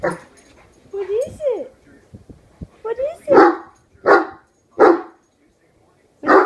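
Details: A one-year-old Great Dane barking incessantly at a hairbrush he suddenly treats as an enemy; human speech first, then four deep single barks roughly every second and a half.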